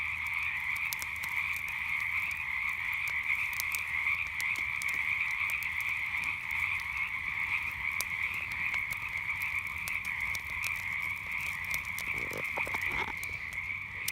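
A steady night chorus of frogs, a dense high trilling drone with sharp campfire crackles.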